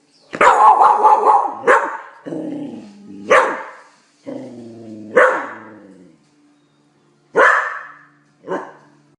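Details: Australian Cattle Dog, a blue heeler, reacting to the TV with a run of loud barks and then single barks spaced a second or two apart, alternating with tonal, drawn-out sounds and Italian narration from the television.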